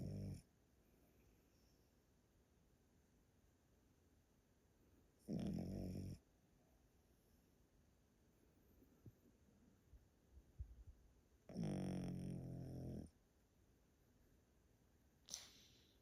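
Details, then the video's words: Elderly Pomeranian named Yotaro, kept at a relative's home in Japan, snoring loudly while asleep indoors: two long, low, rumbling snores roughly six seconds apart, with a brief softer snort near the end and quiet room hush between. "Pomeranian that snores loudly～おじいちゃんポメラニアン与太郎のぐぅぐぅ動画～"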